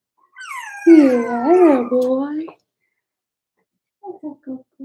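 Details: Four-week-old Cavalier King Charles Spaniel puppies from Daisy's litter in their indoor puppy pen; one gives a drawn-out, wavering tonal whine lasting about a second and a half, followed by a few short soft yelps.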